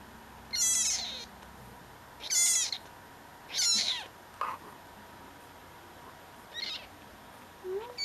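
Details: Rescued tabby kitten, a talker with an alien-sounding voice, gives three loud, shrill, drawn-out meows in quick succession, then softer, shorter squeaks, against a faint background hum.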